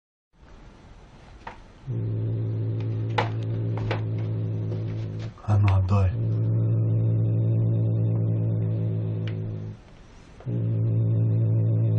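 A steady, low mechanical hum like a running appliance, broken by two short pauses and a few faint clicks.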